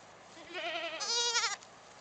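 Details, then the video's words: Mother goat calling her twin kids to come and suckle: a single wavering, tremulous bleat about a second long, starting low and jumping to a louder, higher, strongly vibrato section before stopping abruptly. "Goat mom Happy calls twins Joy and Panda to have milk 山羊媽媽叫雙胞胎潘潘和依依喝奶"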